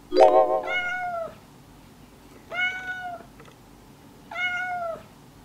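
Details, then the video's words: A stray female cat that had been released returned with two kittens. Its meowing was heard over two days. Three drawn-out, slightly falling meows come about every two seconds, the first preceded by a brief harsh sound, in a quiet indoor setting. "Hai ngày nay tôi vẫn nghe thấy tiếng mèo kêu ,"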